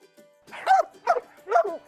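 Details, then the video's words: Dog barking at its owner or someone else, a behaviour being corrected in training: three short, sharp barks about half a second apart, each harsh and mid-pitched, over a faint steady hum. "so you have a dog that is barking at you or someone else all you have to do is sometimes just move into their space assert yourself and cut"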